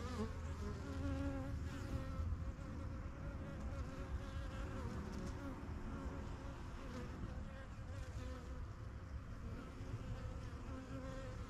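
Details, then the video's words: Honey bees of a strongest yellow backyard hive, first kept in spring 2023, fly in and out getting used to their new home; a dense, steady low buzz of many wings fills the air, with faint individual bees droning past. "BUSY BEE HIVE AMBIENCE"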